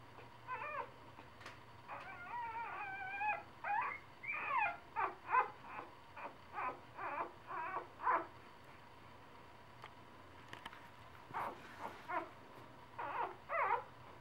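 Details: Three-day-old puppies whimpering and yipping: a run of thin, wavering, high squeaks, some rising and falling, repeated in short bursts over a steady low hum, with a brief quiet gap before more squeals.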